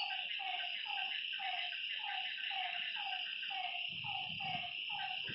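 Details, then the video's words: Night-time lakeside frogs repeating short falling croaks in a steady rhythm, several callers overlapping, with a continuous shrill insect chorus and a low rumble near the end. "Lakeside night creatures and frog sounds"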